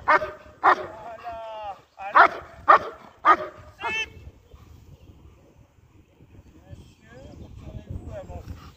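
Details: A German Shepherd in IGP competition training barks in a quick burst of about six loud barks with a whiny tail. Quieter background sounds fill the rest.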